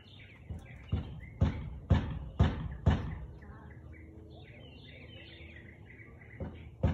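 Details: Siberian Husky on 13 March 2021, 4:17 pm: five loud, hard barks spaced about half a second apart, then a pause filled with bird chirps, and two more barks at the end.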